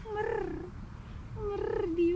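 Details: Two arched, nasal meows about a second apart from an affectionate young grey tomcat with green eyes, calling for love and attention; each rises then falls, with a faint pulsing, purr-like throb beneath.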